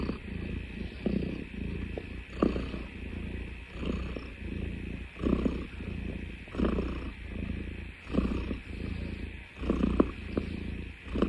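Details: Cat making a low rumbling purr likened to a car engine, swelling and fading in rhythmic bursts roughly every second, with a steady background hum.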